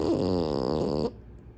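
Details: A French Bulldog snoring with its eyes open gives a single rough, rattling snore lasting about a second before falling quiet.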